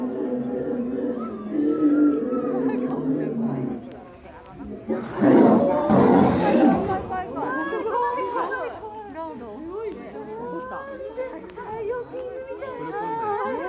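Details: Captive male lion at Hitachi Kamine Zoo, Ibaraki, Japan, filmed in December, angrily roaring at a female who woke him by rubbing against him: one loud harsh rasping outburst lasting about two seconds midway, with visitors chatting before and exclaiming afterward.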